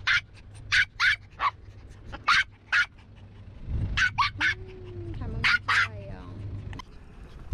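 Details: Maltese on a seaside outing, giving sharp high yips in short clusters with pauses between, followed by whining and a rising, wavering whimper, low rumbling hum underneath.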